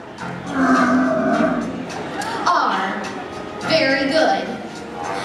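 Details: A captive California sea lion at SeaWorld Orlando, recorded in October 2016 during a visit to the doctor, gives deep, hoarse, mooing calls, each lasting about a second.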